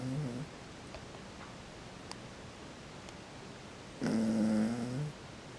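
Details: Dozing toy poodle Nemuro, stuck to a person's back, snores: a brief low rasp at the start, a quiet stretch with faint small clicks, then a longer rumbling snore near the end.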